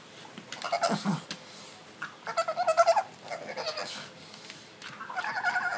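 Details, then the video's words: Pug making weird sounds while scratching its itchy neck: a series of short nasal grunting and whining pulses in quick bursts, some rising into squeaky notes, indoors. "Stitch rubbing himself"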